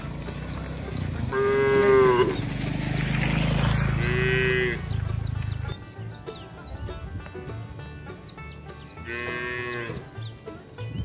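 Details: Cattle herded along wet roads toward the farm shed in the rainy season: two drawn-out harmonic moos near the start, a third near the end, over low rumbling background noise and faint high chirping birds.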